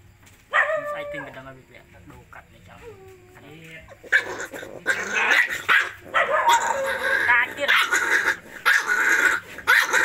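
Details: Puppies at feeding time give a run of short whimpering cries and falling whines, then several seconds of loud, crowded, overlapping yelps and yips, busy and noisy throughout.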